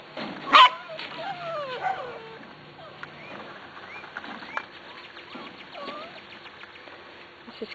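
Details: Eight-week-old Corgi puppies from the Zoe and Strut litter, recorded 13 March 2011, giving high thin whines and short yelps that bend up and down, with one sharp loud yip early on and soft human talk throughout.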